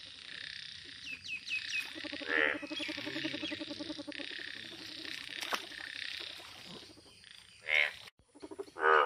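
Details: Yellow frogs in a steady background chorus of buzzing croaks, broken by a few louder, sharp, harsh croaks near the start and end.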